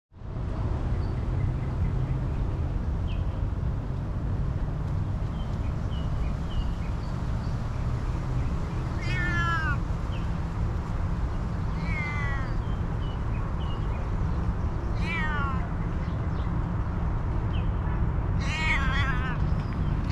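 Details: A hungry female cat, happy for attention and food, meows four times, each call a wavering rising-falling cry spaced a few seconds apart, over steady low rumbling background noise.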